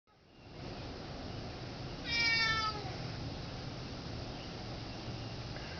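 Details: Domestic cat begging for some turkey, giving a single clear meow that rises slightly then falls, lasting under a second, in a quiet indoor room with faint background hiss.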